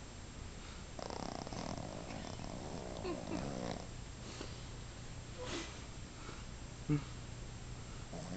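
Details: A 5-month-old Boston Terrier snores while napping, in rough, breathy rasps over a low, steady hum.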